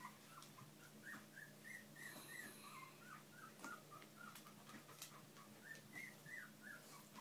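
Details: Bichon and shih poo puppies kept with their parents give a rapid run of thin, high squealing whimpers, each brief and slightly rising or falling, repeated about three times a second against a constant low electrical hum.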